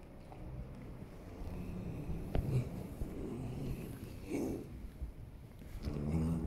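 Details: Holsteiner horse rolling, giving low, rumbling groans and breathy grunts: a steady deep grumble with a sharper grunt near the middle and another swell of low moaning toward the end.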